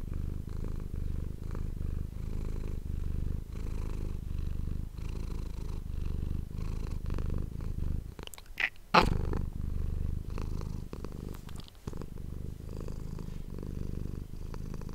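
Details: Domestic cat purring close to an ASMR microphone indoors: a steady low rumble with pulsing bands, interrupted briefly near the middle by a sharp rustling burst, plus scattered soft clicks and shuffling.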